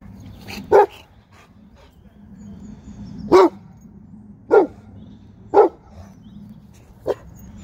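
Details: Six-month-old female Presa Canario puppy giving a warning bark at builders: single deep, gruff barks spaced one to two seconds apart, six in all, over a low steady background rumble.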